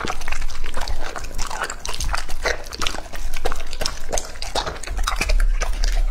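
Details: Two-and-a-half-year-old male English Labrador Retriever named Lucky eating raw meat, recorded up close. Steady loud chomping and moist smacking bites come in quick irregular bursts, with a short quieter pause midway before the chewing resumes.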